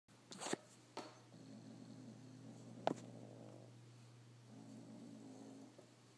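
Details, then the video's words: Retro the cat growls in irritation at a scrap of paper that fell from the paper wad he was playing with. Two low, rumbling, purr-like stretches of about two seconds each, with a few clicks and knocks and a steady hum. "Retro Growls At Paper Scrap"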